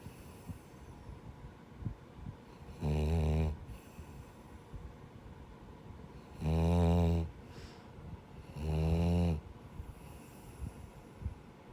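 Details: Gigi, a male rescued Labrador-Schnauzer mix dog, asleep indoors and snoring with a human-like sound: three deep, rasping snores, each under a second long, spaced a few seconds apart, with a soft breath between them.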